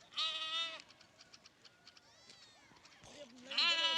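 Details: Lamb bleating: a loud, strongly harmonic, slightly wavering bleat of about half a second at the start, then faint soft bleats and clicks, and a second loud bleat rising in at the end.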